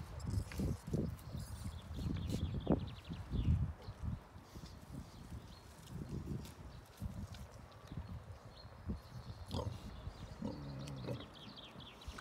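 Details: Wild boar: low, rough grunts and snorts in irregular bursts, louder early on, with rustling and shuffling movement noises throughout.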